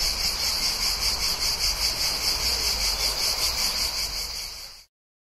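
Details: Cicadas near a town in summer, buzzing in a high, rapidly pulsing drone with steady throbbing beats, faint traffic rumble beneath, then sudden silence near the end.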